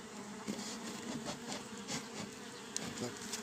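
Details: A steady, low droning hum of a honey bee swarm inside a frameless Japanese hive, 11 days after hiving, recorded 10 June 2024.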